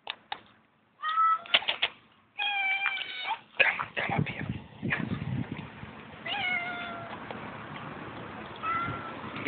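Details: Hungry female cat at a tent on a field school campground at night, giving repeated heartbreaking meows. Several clear tonal, slightly wavering meows are spaced a few seconds apart, with rustling and handling noise between them.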